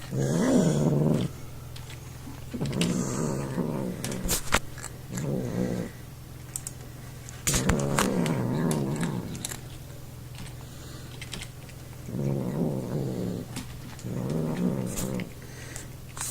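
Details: A male pet cat eats indoors while making strange noises. He dislikes being touched and picked up. Repeated short bursts of low, wobbling growl-moans alternate with brief pauses, with occasional sharp clicks between them.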